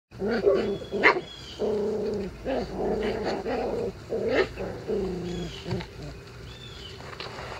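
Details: Month-old Icelandic Sheepdog puppies playing in a yard at 6 a.m., giving a run of short harmonic yelps and barks, some rising and falling, about every half second to second, with faint birdsong in the background.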